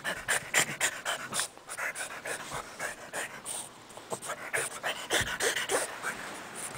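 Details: Panting from a French Bulldog playing under a bed, fast and breathy at roughly three to four breaths a second throughout, with a brief lull near the middle and light rustling.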